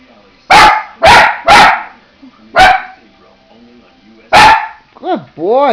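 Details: A domestic dog, urged on by its owner as if it has spotted something, lets out a burst of three quick barks, two more spaced barks, then a rising, wavering whine at the end.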